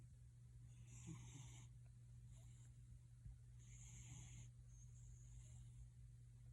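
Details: Gildong, a house cat, purrs in raspy, snoring-like breaths: two long hissing pulses roughly three seconds apart, with a constant low electrical hum underneath.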